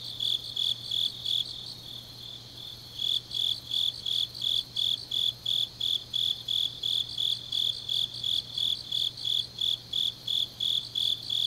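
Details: Autumn grass insects singing on a deep night in Changnyeong, Gyeongnam, South Korea: a high, steady chirping pulsed about three times a second, briefly pausing near the start, over a faint low hum.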